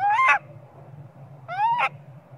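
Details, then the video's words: Young monkey screaming for its mother Popeye to nurse it, maybe hungry; two loud, rising, tonal cries with strong harmonics, each under half a second and about 1.5 seconds apart, over a steady low hum. "Small spoil monkey cry & screaming coz he need mom monkey popeye"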